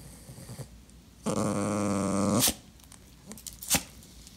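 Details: Clingy pet Dachshund indoors, vocalising while being ignored: one loud, drawn-out harmonic whining growl lasting just over a second, steady in pitch, followed by a few sharp clicks and faint shuffling in a small room.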